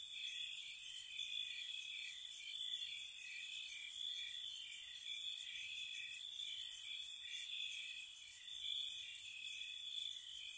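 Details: Night crickets in spring at a cottage, producing a dense shimmering trill with frequent high chirp bursts layered over steady ringing tones; nothing else clearly audible.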